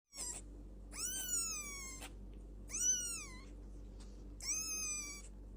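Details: Kittens at play give three drawn-out, high meows, each arching up then falling slightly, spaced about a second apart, over a low steady hum in a quiet room.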